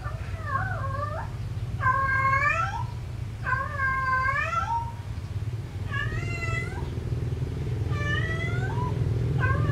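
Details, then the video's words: Domestic cat lovesick and searching for a mate, calling to the opposite sex: about six drawn-out, wavering, harmonic meows, rising then falling, spaced one to two seconds apart over a steady low engine-like hum. "Suara Kucing Kasmaran Mencari Pasangan"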